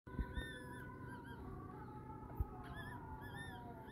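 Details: Prague Ratter puppies of Litter T, 24 hours old, from Bonbon, on their first day. Several short, squeaky, arching whines come in small bursts, over a steady low hum and faint continuous tones.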